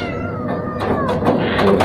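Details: Restless orange cat in a cage giving one long, drawn-out meow that slides steadily downward in pitch, with music playing in the background.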